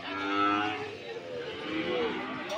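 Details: Cattle at the Sokaraja livestock market in Banyumas on 19 August 2022, giving a drawn-out harmonic moo that swells and fades, then a second lower, wavering moo, over a steady murmur of market noise.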